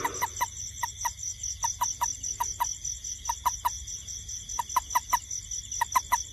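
A toad gives short, knocking notes in quick clusters of two or three, over steady night insects.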